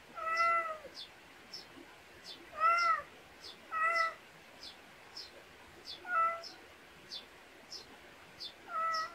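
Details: Pet cat in a rural Korean backyard meowing repeatedly: about five short, tonal meows at uneven intervals, each under a second, while a bird's quick, high chirps tick steadily in the background.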